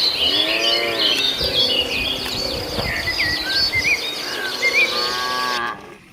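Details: Grazing tame cattle on the move to the pen through a field; short low moos come and go beneath loud, dense bird chirping and twittering, and the sound cuts off abruptly near the end.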